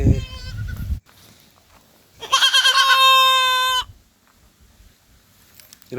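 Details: Domestic goat gives one long, loud, steady nasal bleat of about a second and a half, rich in harmonics, after a short burst of low rumbling noise at the start; quiet afterwards.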